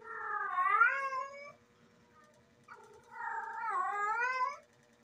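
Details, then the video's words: Female domestic cat in heat calling: two long, wavering, yowling wails, each about one and a half seconds, rising and bending in pitch with rich harmonics, separated by a short pause; a steady faint hum underneath. "Female Cat IN HEAT sound"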